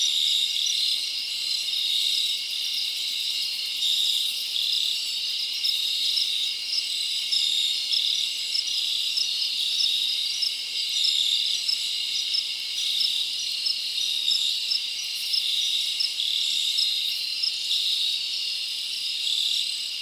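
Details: Night chorus of crickets in a summer forest, unbroken high-pitched trilling with regular chirp pulses riding on top, volume gently wavering over twenty seconds, no birds, wind or voices.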